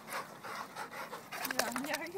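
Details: Vizslas playing at Wilsonville dog park: quick, breathy panting bursts follow one another rapidly, then a thin rising tone slides upward near the end, with a person talking close by.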